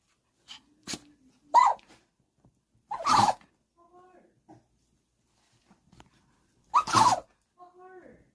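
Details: Chihuahua indoors, playfully fighting its own foot, lets out several sharp, explosive sneezes, some followed by soft nasal whimpering sounds; short bursts spread across the clip in a quiet room.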